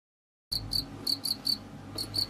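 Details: House cricket (Acheta domesticus), chirping call.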